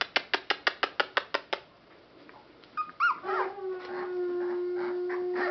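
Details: Rescued Boston Terrier and Pit Bull mix puppies: after a run of eight sharp, evenly spaced clicks, a squeaky rising whine breaks out, then settles into a long steady high whimper with softer overlapping whines.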